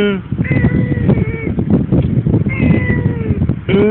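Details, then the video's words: One-year-old female pet cat meowing twice, each a drawn-out, wavering tonal cry of about a second. A woman speaks Tagalog to the cat just before and after the calls. "TALKING CAT"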